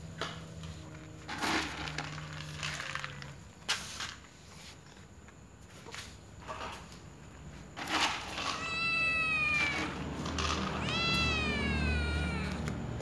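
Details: Little white cat giving two clear wavering meows late on, after a stretch of clicks, knocks and faint low hum with only soft cat sounds.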